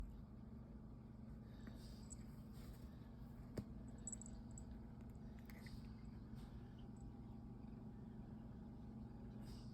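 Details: Goose, a handsome male pet cat, purring while yawning: a soft, steady low rumble runs unbroken through the whole stretch, with a brief faint click near the middle and a few thin high sounds above.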